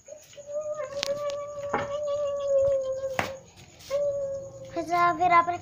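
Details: Siberian Husky puppy playing with children gives a long, steady, even-pitched whine lasting about three seconds, then a shorter whine and a wavering, broken yelp at the end, with people talking nearby.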